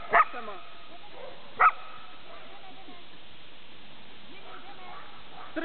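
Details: Jim, a Border Collie working at herding on 14 March 2009, lets out two crisp barks about a second and a half apart. Near-quiet follows, with faint background murmur and a last bark cut off at the end.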